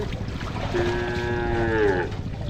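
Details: Cattle, a mother cow and calf bathing in a river in the countryside; one sustained, level moo of about a second and a half over constant low background noise and faint voices.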